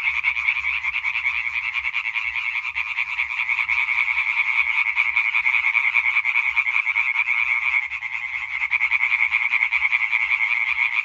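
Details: Many European tree frogs, Hyla arborea, croaking together in a concert recorded 20 May 2023; rapid, raspy repeated notes form a continuous loud chorus, dipping briefly near the eighth second before resuming.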